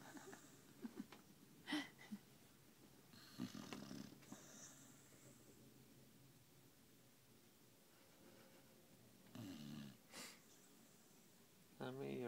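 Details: Sammie, a pet dog sleeping indoors after a hard day of walking and eating, snores in low, rough, irregular bursts separated by quiet breathing pauses; a brief human voice breaks in at the very end.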